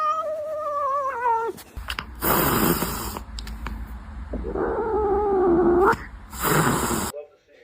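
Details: Domestic cat hissing at a person: a long, falling, moaning growl, then a sharp burst of breathy hiss, a rising yowl, and another hiss, with people gasping and talking nearby.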